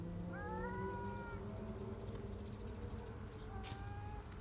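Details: Street cat giving a drawn-out tonal meow lasting about a second, then a shorter fainter meow near the end, over steady low traffic-like rumble and background hum.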